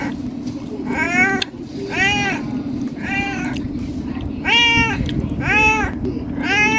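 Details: Six clear meows from a hungry domestic cat pleading for food, roughly one per second, each bowed upward then dropping, with a constant low droning hum underneath.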